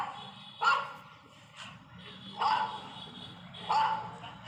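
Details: Labrador Retriever barking: three short, sharp barks spaced about a second or more apart, with music and faint speech in the background.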